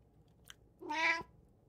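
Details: House cat, one of three pet cats including a tabby, a short-legged Munchkin and an Abyssinian, filmed 16 June 2024: a single short, bright meow rising then dropping, after a faint tick in a quiet indoor room.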